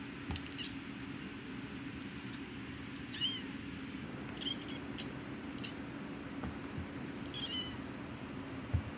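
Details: Domestic cat producing curious rapid clicking noises in short irregular bursts, mixed with a few brief high chirps, over a continuous low electrical hum.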